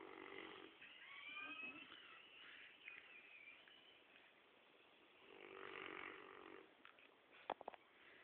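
A Rottweiler snores in long, rasping, breathy rumbles separated by quieter pauses.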